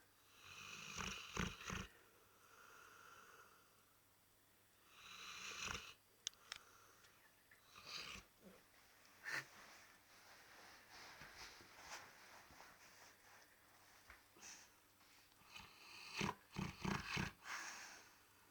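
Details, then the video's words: Labrador Retriever snoring: rough, breathy snores in irregular bursts, some with a nasal, droning tone, separated by quieter gaps of soft breathing. "лабрадор храпит"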